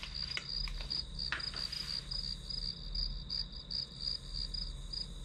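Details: Grass insect chorus used as study white noise: bright, high chirps pulsing nearly three times a second above a continuous thin ringing tone, with a few soft taps early on and a low hum beneath.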